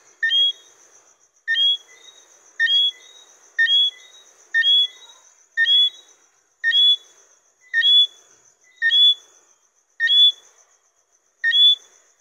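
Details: Johnstone's whistling frog, Eleutherodactylus johnstonei, a small mainly nocturnal frog, giving clear high two-note whistles, a short lower note followed by a sharper higher one, repeated about once a second over a quiet background.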